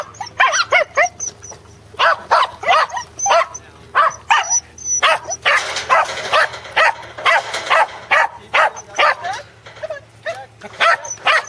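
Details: Second sheep-herding outing for corgis Teddy and Jack at Island Crossing Farm, Arlington, dated 27 March 2011. Volleys of quick, excited barks run almost nonstop, with a faint high whistling tone and a brief noisy stretch midway.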